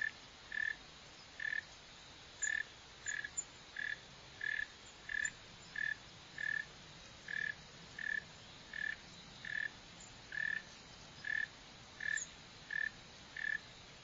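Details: Northern mole cricket, Neocurtilla hexadactyla, calling in a long, steady train of roughly twenty short, monotone buzzy chirps, evenly spaced at about one and a half per second, over faint background noise.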